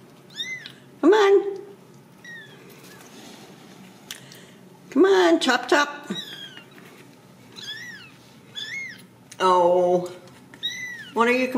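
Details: Ragdoll kittens raised in a home cattery in central Kansas; high, thin mews come in short rising-falling bursts, several kittens calling in turn, with people talking softly in a small room.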